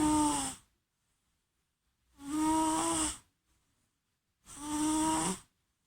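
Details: A pet cat snores in deep sleep, three long buzzy nasal snores with a steady tonal hum, each lasting about a second and coming at roughly two-second intervals, silence between.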